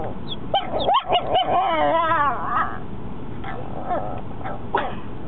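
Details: Mocha, a four-month-old pet dog, barking for the first time: a few short yips and barks, then a drawn-out wavering howl-like whine, over steady background noise.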